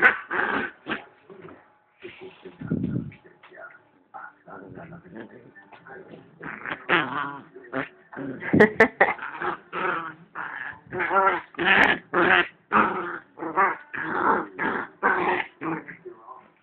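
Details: Nena, a female pit bull rescued from the streets two years ago, under attack by another dog named Lola; rapid, irregular yelps and whimpers pile up in dense bursts, about two per second, while people talk over them.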